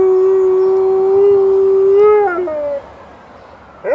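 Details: Early-morning howl of an Alaskan Malamute answering a passing ambulance at 6 AM: a sustained level tone that wavers and slides downward around two seconds, trails off, then a brief rising yelp at the very end.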